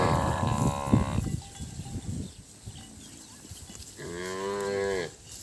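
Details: On a farm, calves separated from their mothers bawl with long, harmonic moos as the herd is driven onto a road past fields of baled straw, with the mothers far off.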